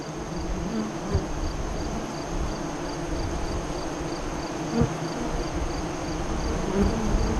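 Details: Honey bees at a west-facing hive entrance five miles east of Lyons, Nebraska, during the 2017 eclipse: a steady low hum with occasional louder bees passing close, under a faint, evenly pulsed high insect chirp.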